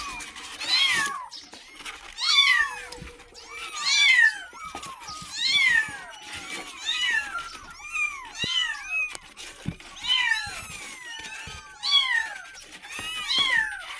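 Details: Kitten crying for its mother, wanting milk: a steady run of about eleven high, bent meows, each rising then dropping, repeated every one to two seconds, with faint clicks and background noise between calls.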